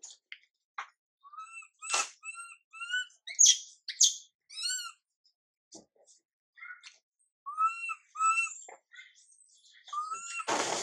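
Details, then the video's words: Young monkey named Mila crying while her mother Milika ignores her: short, tonal, whining cries with stacked overtones, loud and repeated in uneven bursts, ending in a sharp noisy burst. "Mom MILIKA doesn't care monkey MILA cry, PIty girl MILA cries out"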